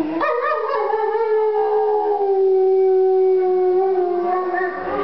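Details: A gray wolf gives a long, steady howl that slowly drifts lower in pitch, inside an art gallery in Verona, Italy, during an exhibition opening in November 2009.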